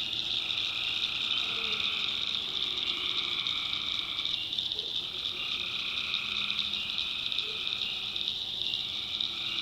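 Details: Tree frogs in a nighttime North Carolina swamp give a constant high, buzzy chorus of overlapping trills, while a few short, lower croaks pop out sporadically beneath the dense wall of sound.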